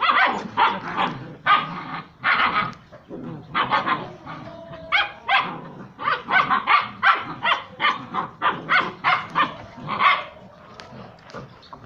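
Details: Puppies playing and fighting together with their mother and other puppies, barking as they play: bursts of short, high, yappy barks repeated in quick runs, with a few low growls between them.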